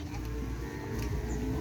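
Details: Cattle training for Madurese bull racing (kerapan sapi) ahead of the President's Cup: a low, droning moo held throughout, with background noise and people nearby.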